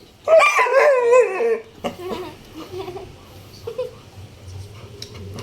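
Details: Labrador Retriever made to cry, one long wavering high whine falling in pitch over about a second and a half, then softer short whimpers under a person's voice.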